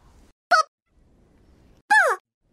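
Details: An angry desert rain frog gives two shrill, squeaky cries like a dog toy, the second longer and falling in pitch: its war-cry.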